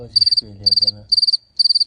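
A cricket chirps in quick bursts of four or five high, pure pulses, about twice a second.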